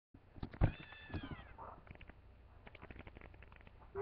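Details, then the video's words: Domestic cat, a mother looking for her kittens, gives one long harmonic meow that holds level then falls, followed by scattered knocks and handling noise. "cat looking for kitten"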